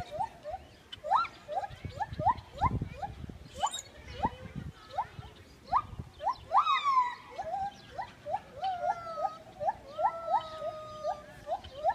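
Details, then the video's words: Gibbon song: a long run of short, steeply rising whoops at a steady pace, then a brief flourish of swooping notes and sustained tones, with some low thumping at the start. "Gibbon song"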